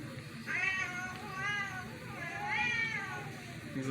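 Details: Domestic cats indoors, reacting to a strange meow. Three drawn-out, arching meows with rich harmonics, each rising then falling, spaced about a second apart over a low background hum. A man's voice is faintly heard.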